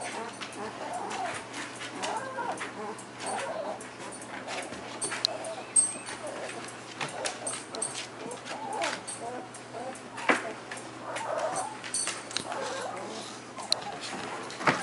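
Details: German Shepherd puppies feeding and trying to walk, a litter making soft, repeated high whimpers and squeaks in scattered bursts, with rustling, clicks and some speech in the background.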